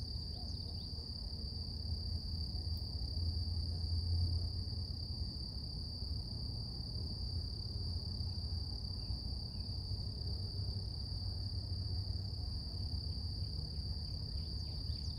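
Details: Long stretch of morning cicada song, one sustained high-pitched buzzing tone with a faint higher overtone, deep rumbling background swelling and easing, and scattered faint bird chirps toward the end.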